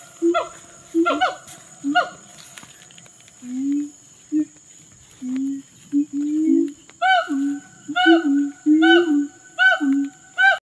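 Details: A wild forest siamang gives deep booming notes mixed with sharp, rising barks, repeated about once a second.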